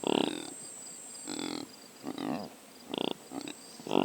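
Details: Impala captured by a Sony PCM A10 drop rig, giving a handful of short, rough, throaty grunts and snorts about half a second apart with short pauses, a faint high whine running steadily behind.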